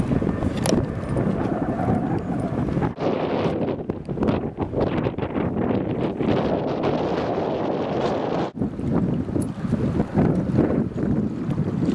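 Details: Heavy wind buffeting the microphone, with rumbling outdoor noise near a dock and no barking or other animal call.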